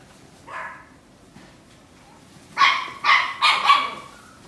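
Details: Female steel blue and tan Yorkshire Terrier, born December 2017: one softer bark, a short pause, then four loud, high-pitched barks in fast succession.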